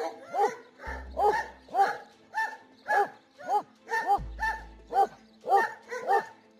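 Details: Kangal shepherd dogs guarding nomads' flocks of sheep on the steppe against wolves, jackals and bears: a steady run of deep, harmonic barks about twice a second, evenly paced, with soft music underneath.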